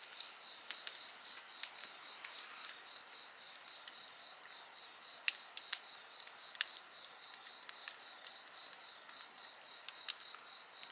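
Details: Night insects keep up a continuous high, thin ringing chorus with a faint rapid pulsing element, while a bonfire nearby cracks and pops loudly every second or so.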